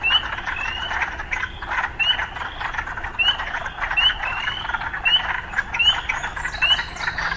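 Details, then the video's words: Urban frog chorus: a steady rasping drone punctuated by sharp rising chirps repeated roughly once a second, about eight in sequence, over a low background rumble. "Urban Frogs"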